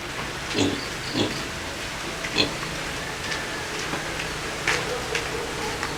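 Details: Two native pigs at feeding time, kept alongside native chickens, give short rough grunts at irregular intervals, a handful over six seconds, over a steady hiss like rain or running water.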